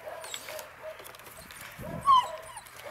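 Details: Puppies aged eight weeks, H litter of two males and two females, playing; soft rustling and scuffling give way to a single loud, high yelping whine near the end, then a brief sharp squeak.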